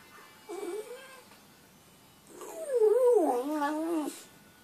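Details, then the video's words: A pet dog howling loud enough to wake its owner: a short, low howl, then after a pause a longer, louder wavering howl that rises and dips in pitch for about two seconds, over faint background hiss. "Guaranteed to make your dog howl"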